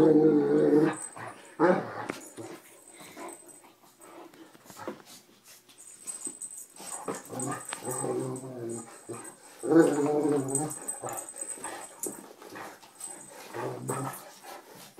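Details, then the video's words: Gentle Anatolian Shepherd Sampson in rough play with small rescue dog Mia inside a room. Loud bear-like growls rise in two strong bursts, broken by gruff snorts, quieter rumbling and scuffling. "Mia had a little lamb that sounded like a bear."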